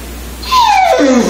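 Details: Buck, a pet Saint Bernard weighing 192 lb, gives a single drawn-out whine that starts high and slides steadily downward for under a second, in a quiet indoor setting.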